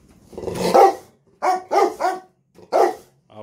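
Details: Excited barking from two Rottweiler cross Presa Canario dogs awaiting food. A drawn-out, rough opening sound is followed by three short, punchy barks, while a man talks of getting the food ready.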